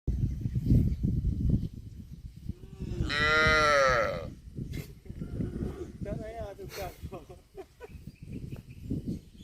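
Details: Cattle mooing once, a loud drawn-out harmonic moo lasting about a second and a half, set against steady low rumbling background noise and a few fainter calls afterward.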